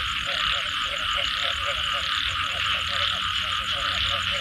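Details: Frogs after rain in Thailand give short, rhythmic croaks in clustered pulses, accompanied by a high steady trill and a constant background wash of noise.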